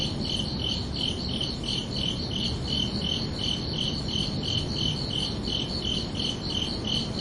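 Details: Crickets chirping at night: steady, high, ringing pulses repeated nearly three times a second, with a second fainter band above, over a constant low broadband hiss.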